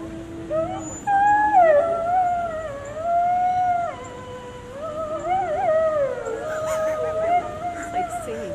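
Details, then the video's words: Captive gray wolves at a zoo in Washington, DC howl together in long, sliding, overlapping notes that rise and fall. Gray wolf. "Wolf Howls at DC Zoo"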